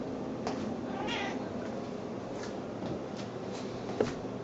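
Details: A female Snowshoe cat gives soft, baby-like cries while circling around people, expecting to be fed; she makes these sounds only then.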